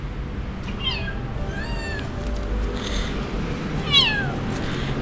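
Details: Abandoned kitten left by its owner in the street, later taken to a safe area with other stray cats; three descending, harmonic meows, the last one loudest, over a low steady background hum.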